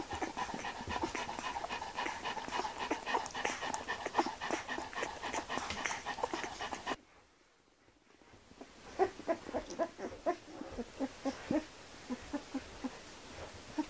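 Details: Gordon Setter puppy within its first four months, panting fast at roughly three to four breaths per second, a brief quiet gap midway, then the panting resumes in sharper bursts.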